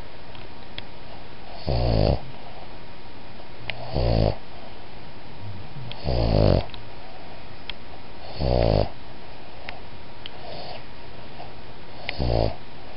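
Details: A Boston Terrier-Pug mix gives a soft "whisper snore", low rasping breaths about every two seconds.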